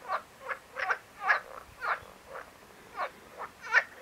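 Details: Marsh frog croaking: loud, rasping, pulsed notes repeated about twice per second, fairly clear against a quiet background.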